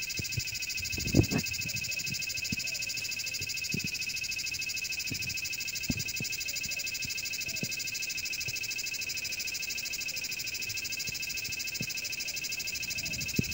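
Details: A singing cicada gives a continuous shrill, metallic buzz with rapid fine pulsation and no pause, while faint low taps and clicks sound now and then beneath it.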